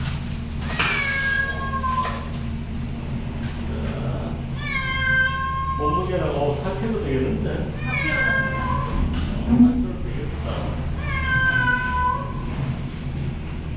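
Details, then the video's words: Frightened cat in an anaesthesia room at a temporary clinic on Hongdo island, in for free neutering by a veterinarian in June, giving long wailing meows with falling pitch, about four calls, over steady machine hum and a man's voice. "겁먹은 고양이가 울음을 멈추지 않자"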